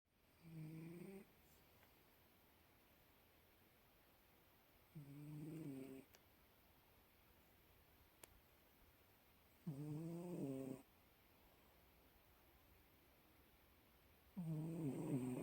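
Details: A Bengal cat snores in slow, rasping breaths roughly every four to five seconds.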